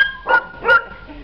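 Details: Puppies at an animal shelter in Algeciras give two short, sharp yips about half a second apart over a faint steady tonal hum.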